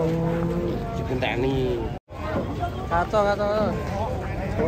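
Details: Cattle, a cute swaying cow stepping down from a truck amid sprayed water. A steady low moo opens, followed after a brief cut by people talking and wavering voiced sounds, with a constant background hum.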